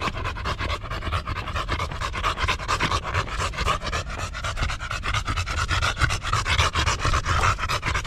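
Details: Golden Retriever Buding, a dog devoted to caring for her owner, panting hard with quick regular huffing breaths, evenly paced, with a faint tonal hum running underneath.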